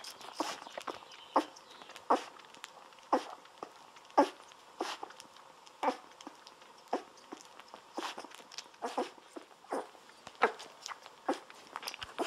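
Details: Golden Retriever puppies, 17 days old, lying on their backs while bottle-fed milk indoors; short squeaky whimpers and suckling sounds repeat about every second, likened to guinea pigs or human babies.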